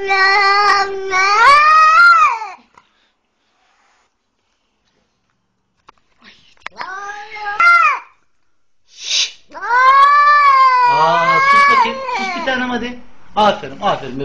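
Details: Young kitten, twenty days old, bitten by a leashed pitbull and rescued, wailing repeatedly: loud wavering meows broken by pauses, some shorter squeaks and a burst of noise, growing busier toward the end.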